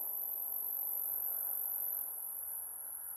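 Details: Male great grig singing head down on a tree trunk in William Switzer Provincial Park. He is deafened by his own stridulation. A steady, very high continuous buzz runs throughout, with other males droning in the background and a soft low rustle.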